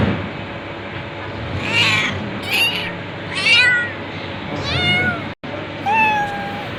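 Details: Domestic cat meowing repeatedly, drawn-out calls that rise then fall in pitch, some overlapping, over a steady low background hum, with a brief silent cut near the end.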